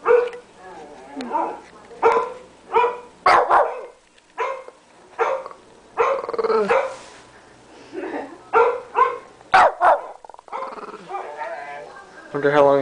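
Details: Shih Tzu of 13 pounds, treated as the family guard dog, barks persistently at a computer indoors: a long run of sharp, harmonic barks, roughly one every second or so, some in quick doubles, with occasional human speech.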